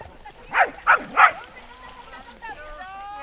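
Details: Dog by a lake at Lida Nature Reserve on a summer day giving three quick, sharp barks in close succession, followed by softer voice-like tones.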